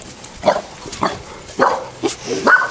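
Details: Boerboel puppies being exposed to new sights and sounds, giving a run of short high yips and whines spaced about half a second apart, with a person calling encouragement nearby.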